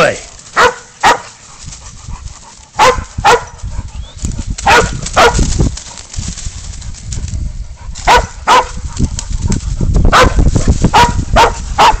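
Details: Pig dog baying a goat, catch and release. Clusters of loud, ringing barks in pairs and runs separated by quieter stretches of scuffling and rustling, with a man's voice calling encouragement between bursts.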